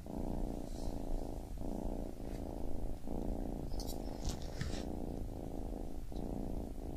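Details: Baby kitten purr, a deep continuous rumble broken by short breath gaps about every half to one second, with a few light higher ticks near the middle.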